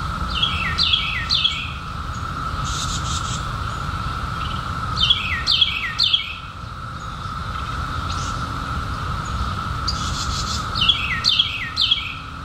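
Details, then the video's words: Periodical cicadas emerged in 2021 after 17 years underground: a steady, unbroken droning chorus holds one even pitch throughout, while bursts of quick descending bird chirps break in at several points and a low rumble sits underneath. "SOUND OF CICADAS 2021"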